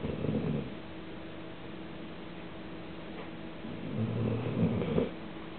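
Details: Sleeping elderly female Leonberger named Cassady, recorded on 14 February 2008 in Cambridge, Massachusetts, lets out a raspy low snore at the start and a longer, fuller one about four seconds later, with a constant electrical hum beneath.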